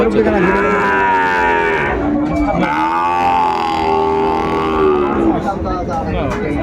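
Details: Sahiwal bull calf at a Sylhet cattle market in Bangladesh, 16 December 2024. It gives two long, rich lowing moos back to back, each roughly two and a half seconds, dipping then swelling, with crowd noise throughout.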